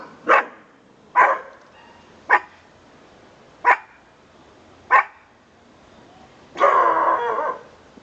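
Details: A pet dog named Conga indoors gives five short, sharp barks spaced about a second apart, then a longer, rougher, drawn-out bark-like burst near the end.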